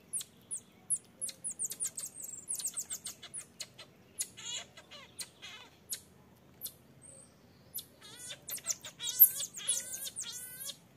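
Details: Infant marmoset begging its mother to nurse while she firmly refuses; a rapid run of sharp, very high chirps, then a burst of wavering, harmonic-rich cries and squeals toward the end, with faint low background hum.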